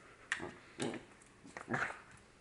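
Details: Dog frustrated by a fake bird, letting out three short, soft whimpering yips spaced about half a second to a second apart against a quiet background.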